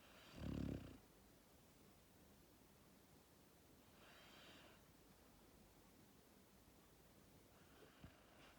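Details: Max, a sleeping Labrador Retriever puppy born on 1 October 2019, gives one loud, rasping low snore near the start, then two soft breathy exhales about four seconds apart in a quiet room.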